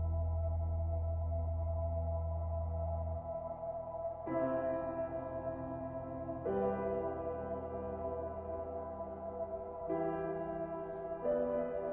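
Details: Calm ambient music of sustained, layered tones with a deep drone at the start.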